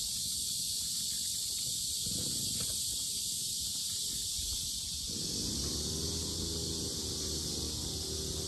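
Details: Cicadas droning loudly at Sinjeongho lotus park, Asan, Korea: a constant shrill buzzing band, joined after about five seconds by a low rumbling hum, likely wind or handling.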